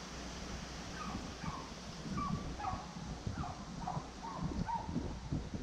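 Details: Beagle gives short, yelping barks in a quick, uneven series over heavy rustling and thumping while hunting roe deer, at the start of the roe deer season.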